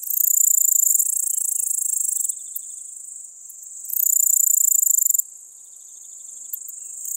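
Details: Littoral Dark Bush-cricket (Pholidoptera littoralis) singing at Seewiesen, Germany, on 11 July 2023: very high, dense, hissing stridulation in long buzzing trains that swell loud, fall to a quieter phase, then surge again.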